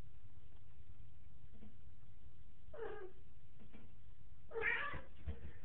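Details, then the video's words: Black cat named Xica playing in a bathtub indoors, giving two short meows, a brief one near three seconds and a louder, rougher one near five seconds, over a steady low background rumble with faint scratching. "Black cat playing in the bathtub"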